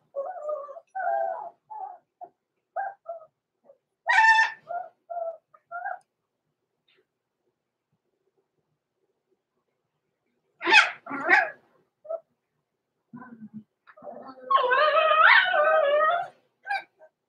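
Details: Six-week-old blenheim Cavalier King Charles Spaniel puppies, Roman and Blue, born November 14, 2022, overnight in an indoor puppy pen: bursts of high, wavering whines and short sharp yelps, with a long quiet gap midway, then a sustained whimpering cry.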